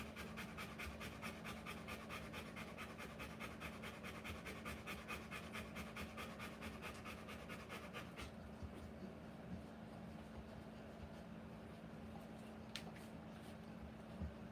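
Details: Rottweiler in labour giving birth to puppies, panting in quick rhythmic breaths a little over two per second for the first eight seconds, then quieter breathing with a faint hum and a couple of sharp clicks.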